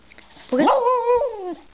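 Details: Five-year-old beagle being taught the words monkey and bear with mandarin orange treats. He gives one drawn-out, harmonic yowl of about a second with a rough rising onset, then a slow fall. A person's voice is heard around it.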